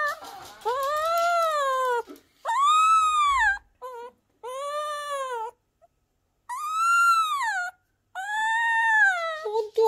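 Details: A 3-week-old Miniature Schnauzer puppy gives drawn-out, arching howls, each rising then falling, with short gaps between.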